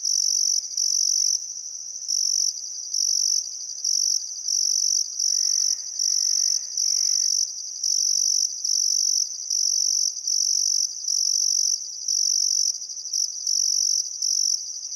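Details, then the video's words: Outback Queensland crickets chirping at sunset on the Barcoo River in Welford National Park during a still summer afternoon: rhythmic high buzzy trill bursts, with a faint soft birdcall around the middle. "Australian Sunset Chirping Crickets"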